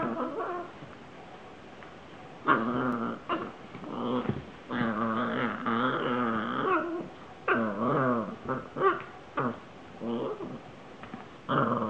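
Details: Italian Greyhound playing indoors, chasing a ball and jumping on things; a run of rough, harmonic growls and whiny yips in bursts of one to two seconds, with a person laughing and talking nearby.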